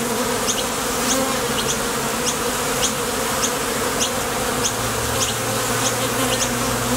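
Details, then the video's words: Steady droning of many honey bees at the mouth of a Top Bar Hive as foragers depart and land, the buzz made by vibrating thoracic muscles, overlaid with faint regular high-pitched chirps. "Bees Sound Effects"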